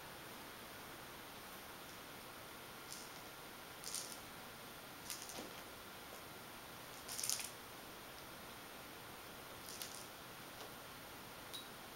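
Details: Quiet indoor room with a steady faint hum and a few soft scattered taps and rustles, no animal voice.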